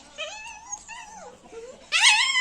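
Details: Family pet dog whimpering: a run of high, tonal whines that glide up and down in pitch, four short cries in quick succession, then a louder, strained rising whine to close.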